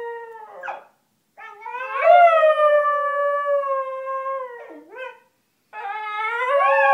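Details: Basenjis staying under the covers to sing their song: wavering howled notes broken by short pauses, a long steady middle note, a dip, then a rising yodel-like howl at the end.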